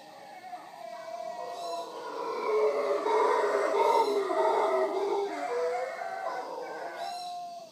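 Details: Wild howler monkeys visiting in the morning at Villa Toucan, Punta Uva, Costa Rica, near the Manzanillo Wildlife Refuge: a dense, rough, swelling roar that builds and fades, with brief bright bird chirps breaking through three times.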